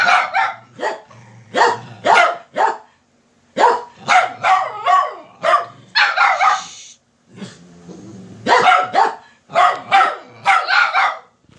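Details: Household dogs insistently barking to wake their sleeping owner, rapid strings of loud barks and yips, several dogs overlapping, brief quiet breaks between volleys.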